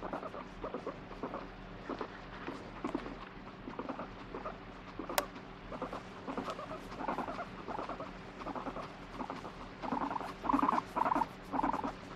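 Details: Irritable pet guinea pig, alternately asking to be stroked and refusing touch, gives uneven chains of buzzy pulsed rumbles, ending in three stronger bursts close together.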